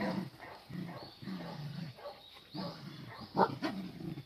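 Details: Cardigan Welsh Corgi puppies on a home garden's lawn, filmed 23 May 2020. Short throaty grumbles come in quick bursts, with one sharp yip near the end.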